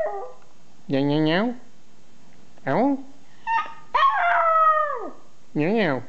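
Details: Small pet dog howling back and forth with a person who makes funny sounds; wavering harmonic howls and a long sustained note that slides downward, alternating with short rising human vocal imitations, in a quiet indoor room.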